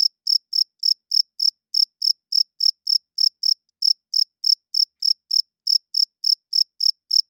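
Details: Night-time cricket calling loudly, the male rubbing its wings to court females and claim territory: a steady run of about 26 sharp, high chirps, three to four each second, with nothing else audible.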